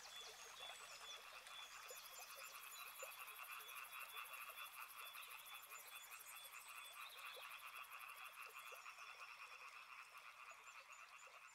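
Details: Quieter, more distant frog chorus beside a river, irregular croaks in mid and high registers under a sustained high-pitched buzzing band and soft background hiss.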